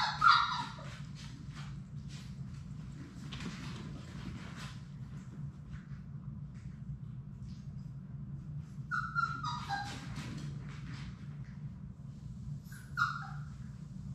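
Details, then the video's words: Labrador Retriever puppies at play in an indoor play room, a litter of six: a few short, sharp whimpers and squeaks at the start, middle and near the end, with soft scuffling and a low steady hum between them. "Labrador puppies at play!"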